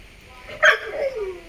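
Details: Pet Labrador Retriever at home, one of two dogs named Jimmy and Pooppi. It gives a single sharp, short bark followed by a softer falling tone, with quiet room noise around it.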